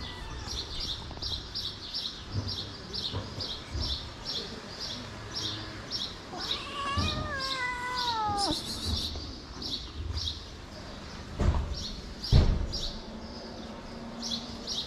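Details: Big-nosed feral cat slapping a homeless kitten away; a drawn-out wavering meow with stacked harmonics, set against a rapid repeated high chirping and low background noise, with a sharp knock near the end.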